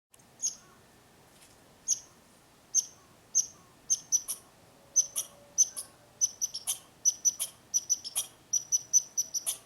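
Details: Squirrel in a tree giving sharp, high-pitched chirps in short bursts, repeated at irregular intervals of roughly one to two seconds, some notes paired, with faint clicking sounds and a quiet background.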